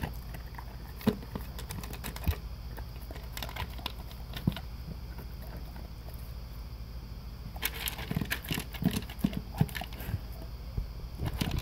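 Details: Breakfast for a male English cream golden retriever: Taste of the Wild dry food eaten from a blue concentric-circle slow-feeder bowl; clustered bursts of sharp crunching and bowl clatter separated by quieter pauses, under a faint constant hum.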